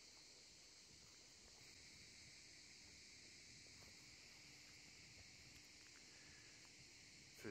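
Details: Cicadas singing around a bay in Corsica in summer while sailors at anchor fall quiet to listen: a steady, dense, high buzzing drone runs throughout, with faint water and boat sounds beneath.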